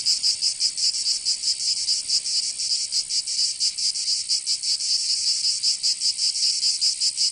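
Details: Summer cicada chorus from Provence in the south of France, a harsh high buzzing that swells and dips unevenly, roughly two to three pulses each second, steady throughout.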